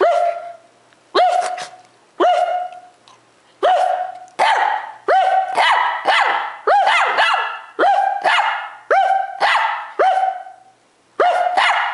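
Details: Domestic dog in a bark war with its owner, growing excited as a camera draws closer: a loud, steady run of about a dozen clear, ringing barks, each clipped short, roughly one per second, with brief pauses.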